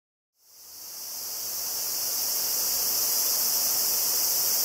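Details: Cicadas (Tanna japonensis, higurashi) near Kobe, Japan, 14 August 2011, on a Zoom handheld recorder: a dense, steady hissing insect chorus fades in after a short silence and holds high and unbroken throughout.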